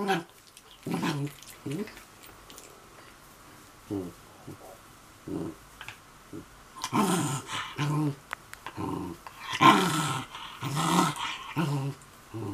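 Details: Mame Shiba Inu, cross at having its feet wiped by a man, gives low, broken growling bursts that build louder toward the end, with quiet human speech and room noise around it.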